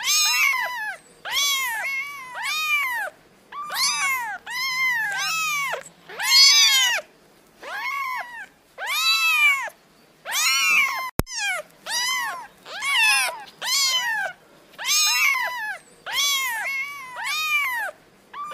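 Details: Kittens call over and over in bright, arched meows, roughly twenty short cries coming in irregular bursts, one faint click partway through, with little else heard.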